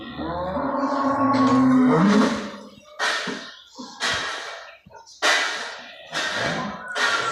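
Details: Cattle on a commercial farm with hundreds of cows, a deep drawn-out harmonic moo rising in pitch at its end over about two seconds, followed by a series of short sharp knocks and rustling bursts.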